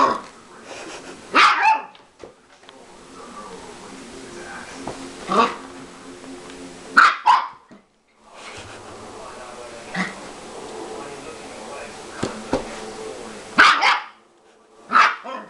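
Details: A Siberian Husky puppy playing with a man in a mock attack gives short, sharp yipping barks every few seconds.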